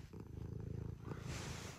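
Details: Early-morning purring from a pet cat arriving to rouse its sleeping owner; household of Scottish fold and British shorthair cats. Short, even low throb of purring, ending in a brief rustle of fabric.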